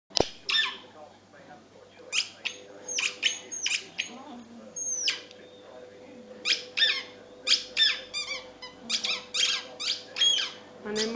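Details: A jealous Patterdale terrier that really wants a ball lets out rapid, high squeaky whines and yelps, short bursts repeated many times over eleven seconds, with a steady low hum underneath.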